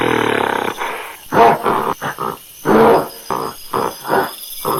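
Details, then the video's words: Monkey giving loud, rough grunting and roaring calls in short bursts of about half a second, repeated irregularly with brief gaps, over a steady background hiss. "MACACO- SOM DE MACACO- MONKEY SOUND"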